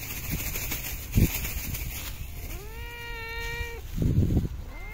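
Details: Stray cat in a park or street being fed, giving one drawn-out meow that rises then holds steady, with thumps and rustling before and after.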